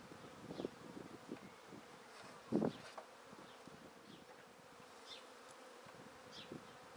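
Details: A honey bee swarm taken from a tree into a swarm basket hums steadily, overlaid with scattered knocks and rustling from the handling, one loud thud midway, and faint distant bird chirps.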